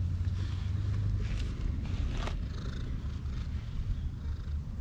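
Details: Temple cat purring while being petted, a steady low rumbling purr throughout with outdoor background hiss and a brief brighter rustle midway.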